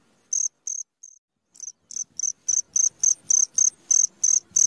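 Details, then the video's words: Midnight cricket song beginning with a few spaced, softer chirps, then building into a steady, loud series of high, shrill chirps about three per second, with faint low rustling underneath. "SUARA JANGKRIK TENGAH MALAM"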